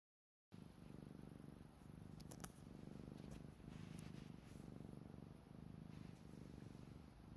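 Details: Black cat asleep on a blanket despite hot weather, snoring: soft, low, rumbling breaths pulsing in a steady rhythm, each lasting under a second, with a faint hiss behind and a few light clicks.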